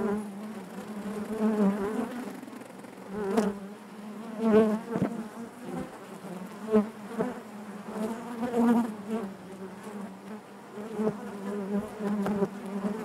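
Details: Constant drone of honey bees within the hive, a low vibrating hum punctuated by louder surges every second or two as bees fly near, plus occasional light taps.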